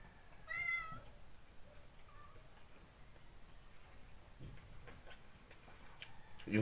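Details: Ginger pet cat Sadak meowing over breakfast and coffee indoors: one clear, high, drawn-out meow near the start, followed by soft Filipino speech, light tapping and a loud knock at the close.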